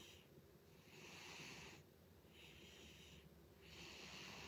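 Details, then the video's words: A pet cat named Butters snores loudly, giving long airy, wheezing rasps on each breath, three drawn-out hissing bursts separated by brief pauses, with nothing else audible in the quiet room. "Cat Snores Loudly"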